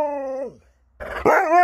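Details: Alaskan Malamute, a pet dog reacting to a daughter being brought home, gives a short level whining tone that slides down, then after a pause a rough yelp rising into a clear howl-like tone.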